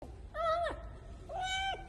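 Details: Starving stray kitten, found in an underground parking garage, making loud noises while devouring a breakfast bun: two clear, level meows about a second apart, each ending with a falling tail, over faint room hum.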